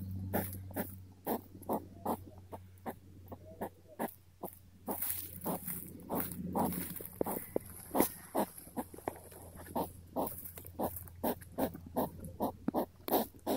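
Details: An inquisitive hedgehog sniffs and grunts in a long run of rapid, breathy snuffles, about two or three per second, uneven in loudness, with a faint low hum underneath.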